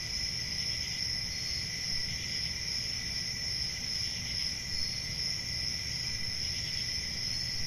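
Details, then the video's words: Summer night forest chorus of crickets: dense, unbroken high-pitched trilling layered in bands, faint rhythmic pulses, and a constant low rumble underneath. "10 Hours Relaxing Cricket Sounds For Sleep Ambient Summer Night"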